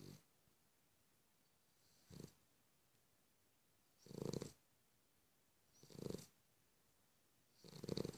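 A Cavalier King Charles Spaniel snores in slow, rumbling breaths about every two seconds.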